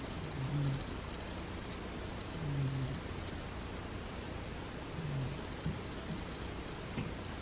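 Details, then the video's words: A sleeping cat named Butters snores in low, gentle rumbles, one breath roughly every two to two and a half seconds, with faint room hiss and a small click near the end. "Cute Snoring Cat"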